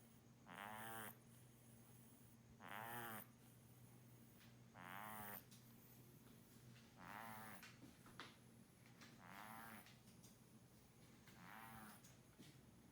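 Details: Muff, a snore-prone pet kitten, asleep and snoring like an old man: six raspy, rattling breaths at a steady pace of roughly one every two seconds, growing slightly softer toward the end over a quiet humming room.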